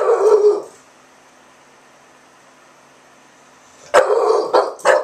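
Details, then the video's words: Milton, an English Bulldog, barking defensively from an open window in Oklahoma at a small neighbour dog, his back hair raised; a sustained bark opens, then after a pause three quick barks follow in succession. "Milton Defends His Street"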